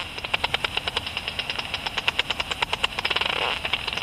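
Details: Bat detector rendering of a Japanese pipistrelle (Pipistrellus abramus) in flight at dusk: unevenly spaced clicks, about two per second, over constant hiss, with a brief rushing swell near the end.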